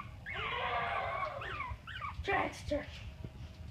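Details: Cream longcoat Chihuahua puppies at play, wearing colored collars: a long high wavering whine, then short rising and falling yelps and squeaks, with a few soft thumps and human sounds nearby.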